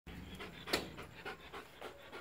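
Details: Belgian Malinois trying to eat a Pedigree DentaStix hung on a swing, panting in quick breathy bursts that repeat roughly every third to half second, with one sharper louder puff early on and a faint hiss throughout.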